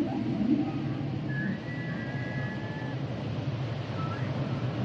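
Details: Humpback whales singing, a long steady high tone held for over a second with a short rising upsweep later, set against heavy low-pitched ocean rumble.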